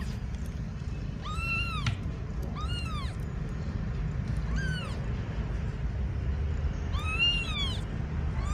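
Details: A restless, agitated kitten cries repeatedly, five short, high, arched meows with strong harmonics, spaced one to two seconds apart, a steady low hum underneath.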